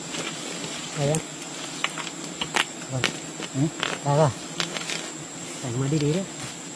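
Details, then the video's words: Wild bees at a colony raided during honey hunting, several short buzzing flights passing close by, each a low droning hum that swells and fades within a second, with scattered clicks and knocks between them. "Wild bee honey hunting"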